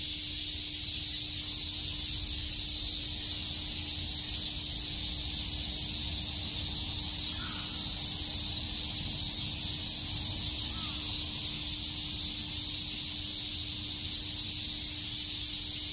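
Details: Shakujii Park, Tokyo, in summer: a chorus of cicadas keeps up a constant high buzzing hiss, with two faint brief chirps in the middle of the stretch.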